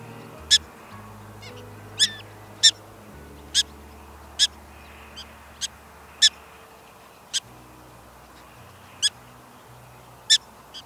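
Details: Prairie dogs at the home burrow give an alarm: sharp, high, clipped chirps repeated at uneven intervals of about half a second to a second, over a steady low hum.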